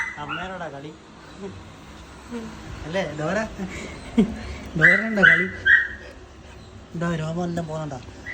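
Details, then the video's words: Siberian Husky puppies playing with their mother while shedding coat: repeated harmonic whines and yips rising and falling, several in quick succession, mixed with a person talking in Malayalam. "Husky puppies"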